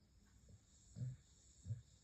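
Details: Sleeping Staffordshire bull terrier snoring lightly: two short, low rumbling snores about three quarters of a second apart, in a quiet room with a faint steady hiss.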